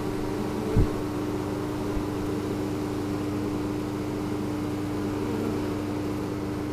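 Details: Honeybees in spring 2013, signalling emphatically after their hive was cleaned and moved following overwintering, recorded on a GoPro Hero3: a steady low droning buzz with one sustained tone running through it, broken by a brief thump near the start.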